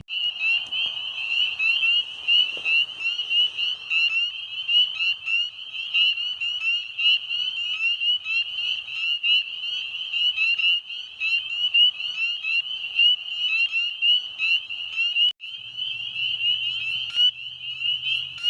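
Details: On a warm mid-May night at a pond, at the height of breeding season, a dense chorus of spring peepers gives countless high, piercing peeps overlapping into a continuous shrill ring, American toads calling in the background.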